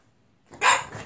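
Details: French Bulldog indoors, hesitant and scared to come down two-step sofa stairs, lets out one short sharp bark with clear tonal overtones that fades quickly, followed by a person coaxing it in Korean.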